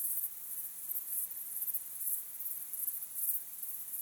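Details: Sunset crickets heard in a natural recording as a thin, very high ringing trill, pulsing gently and evenly for a few seconds, with no other distinct sounds.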